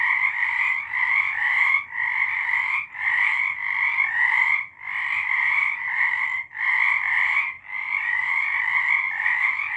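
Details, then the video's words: Frogs calling together after dark in March 2023, bursts of dense trilling broken by short pauses about every one to two seconds, a loud pulsing chorus. "Frogs singing."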